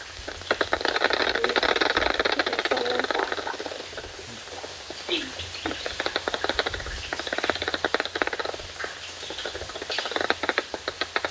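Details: A simple stereo bat detector makes bat echolocation audible as rapid, dry clicks and ticks crackling in dense bursts, as bats emerge in total darkness from Mammoth Cave.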